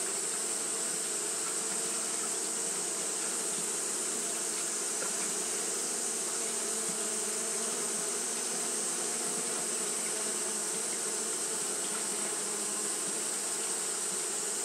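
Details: Steady drone of Japanese honey bees that kept fanning all through a hot day, a dense low buzzing hum with even, unbroken texture and a bright high-pitched hiss running throughout.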